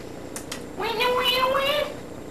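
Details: Pet cat in a bathtub giving a drawn-out meow that rises and then levels off, over faint background clicks and room hiss.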